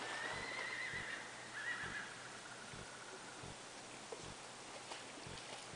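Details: Champagne tobiano Tennessee Walking Horse gelding, barefoot and trained in natural horsemanship, gives a faint wavering whinny over the first two seconds, then falls quiet while steady hoof clops and soft outdoor noise carry on.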